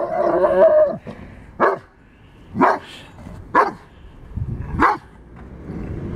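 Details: Giant Schnauzer puppy confronting a metal moose opens with a drawn-out whining yelp, then gives four separate short barks about a second apart.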